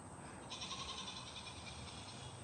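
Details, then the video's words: A goat in a backyard gives one distant, quavering bleat lasting about two seconds over a steady high hiss and faint background noise; someone asks whether listeners heard the goat. "Did y'all hear that? Did y'all hear that goat?"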